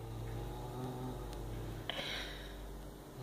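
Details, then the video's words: Smores the cat guards a mouse with a sustained low rumbling growl, an even droning tone throughout, interrupted near the middle by a sharp click or tap, with a quiet indoor background. "Smores The Cat Growling"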